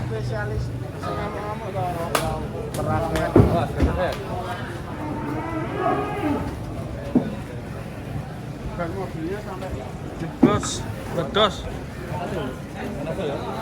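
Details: Raging bull unloading from a truck; loud, low moos early on, then handlers shouting, clattering knocks and bangs, and music in the background.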